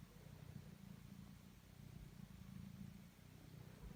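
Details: Domestic cat named Totto purring while kneading; a steady low rumbling purr with gentle rhythmic pulsing continues through all four seconds, with no other sounds standing out.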